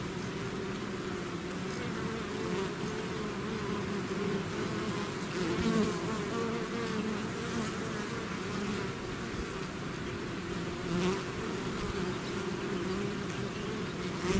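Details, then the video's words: Long steady drone from a swarm of bees out of the hive, a thick low hum with individual insects passing close now and then, adding short rising and falling buzzes. "bees therapy swarm natural buzzing sound"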